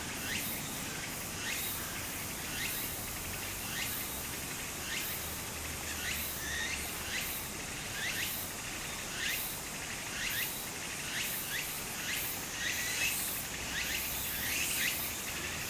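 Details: Summer cicada chorus by a small stream in Japan: high buzzy bursts pulse rhythmically, about every second, layered over continuous broadband water rush.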